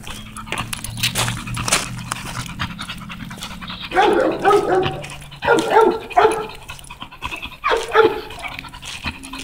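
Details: On a walk, the American Bully Tugboat pants in three or four loud, voiced bursts of quick breaths separated by short pauses, with a faint low hum running underneath.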